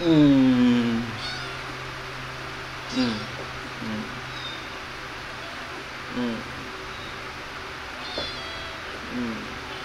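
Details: Kittens at play and feeding; one loud, drawn-out descending meow opens, followed by several faint, short mews spaced a few seconds apart against a steady low room hum.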